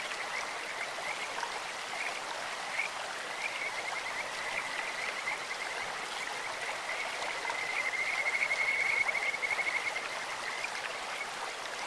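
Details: Scattered short chirps, then a louder quick trill around eight to ten seconds from Kajika frogs in a clear stream, their sweet steady-pitched voice set against constant gurgling water.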